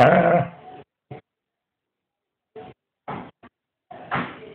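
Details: Scottish Terrier grumbling about missing biscuits: one long, loud, rough moan opens, then short clipped yips and a final strained whine after a pause.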